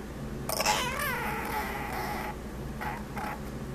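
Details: Sammy the male Chihuahua makes a funny wavering whine lasting almost two seconds, then two short yelps, with a fan humming and rain in the background.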